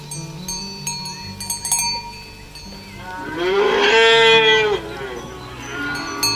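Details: Healthy, well-fed cattle walking to the field in the morning as a herder guides them; a single drawn-out, rising then falling moo swells midway, over steady cowbell ringing and soft farm background.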